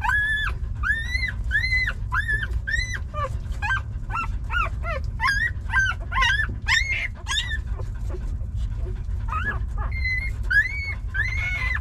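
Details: Puppies suckling milk from their mother give high, arching whimpers and squeaks, several overlapping, repeated about every half second, some rising and falling; a steady low rumble runs underneath.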